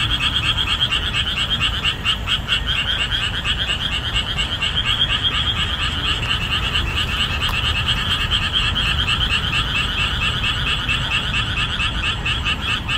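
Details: After the rainy season, with the marsh laid bare in summer, numerous boreal digging frogs call strenuously; steady overlapping croaks repeat rhythmically about twice per second, backed by a low continuous rumble.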